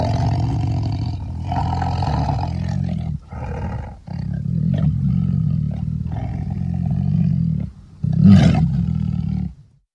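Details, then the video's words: Low, throaty tiger roaring in long sustained bouts. A brief pause comes near the middle, and a sharper, louder burst arrives toward the end before it fades out. "tiger sounds"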